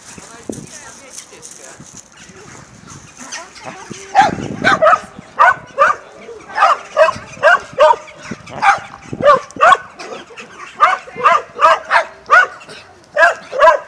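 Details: Dogs in Mazovia, Poland, 2021. After about four seconds of faint background, a fast volley of barks starts and goes on to the end, two to three barks each second, slightly irregular.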